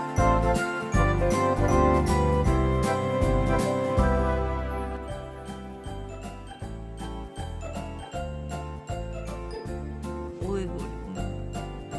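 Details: Bright, tinkling, bell-like music with a steady quick beat fills the whole stretch, and no animal is heard.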